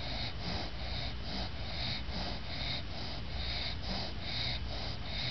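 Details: Snoring from Lucy the English bulldog, exhausted after a bath and keeping her eyes open; quick rhythmic snorting breaths, roughly seventy-four a minute, each a wheezy rasp over a constant low rumble.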